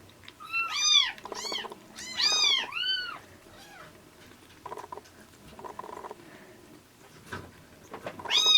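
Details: Rescued orange tabby and bicolor kittens in Japan, found in late February at about 80 g, now near weaning and being bottle-fed milk; high arched mewing cries in bursts, several overlapping, with sucking and clicking noises between.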